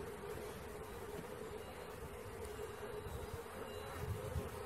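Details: Swarming honey bees during a capture, a thick continuous drone with a low rumbling undertone, even and unbroken across the few seconds.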